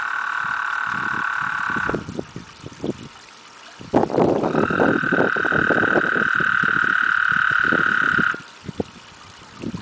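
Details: Toads, eight of them, mating in a backyard pond in summer 2009, loud: long steady high trills held for several seconds, one ending near two seconds and another running from about four to eight seconds, over splashing and water noise.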